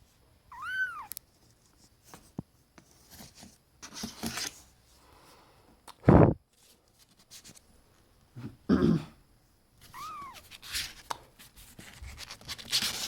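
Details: Indoor domestic cat from the trio Auri, Vin and 2-Euro meows twice, a brief arching call at the start and another near the end, with loud thumps and rustling in between.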